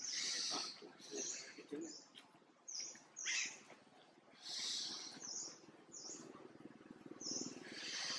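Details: Tiny monkey Jinx, afraid when mom Jade looks at her, utters repeated shrill squeaks and whining cries in quick bursts over a rustling background.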